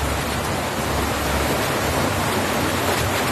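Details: Dense, unbroken broadband hiss like heavy rain or rushing water fills the whole recording, with no animal voice.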